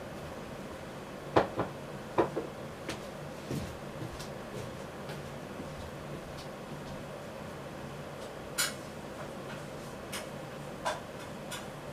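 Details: Steady low humming of a machine indoors, with one sharp knock near the start and a few faint clicks; no animal voice is heard.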